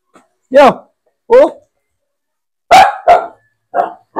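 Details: Aspin dog at bath time. A person speaks two short phrases, then three clipped, noisy barks follow in quick order.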